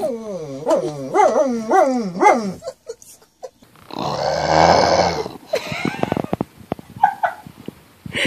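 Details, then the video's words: A pet dog 'talks' with a run of about four bouncing, rhythmic yowls, each rising then dropping in pitch, followed by a burst of broadband noise and scattered clicks and brief vocal fragments. "Talking Dog Videos Funny Talking Dogs"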